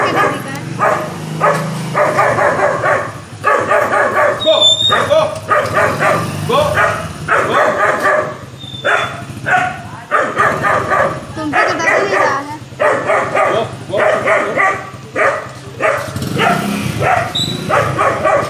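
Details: An 8-week-old German Shepherd puppy barks at a pig in a long run of short, sharp, bright, yappy bursts in quick clusters with brief pauses, some rising toward a whiny yip.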